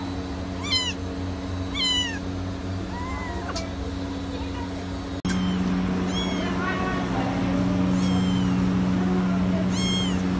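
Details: Several Persian kittens mewing often, thin high squeaky meows that bend upward then drop, coming every second or two and overlapping, over a constant low electrical-sounding hum.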